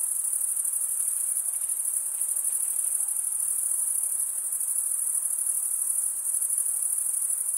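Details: Steady thin, very high ringing of many stridulating crickets, males scraping wing over comb-like teeth; the fast, uniform pulsation barely varies in strength and no other animals or background sounds intrude.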